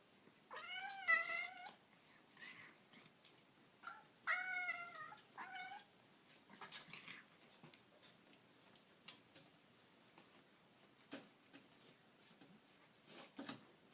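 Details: Kittens indoors giving three clear high, wavering meows in quick succession early on, each rising then falling, followed by quieter stretches with soft clicks and rustling.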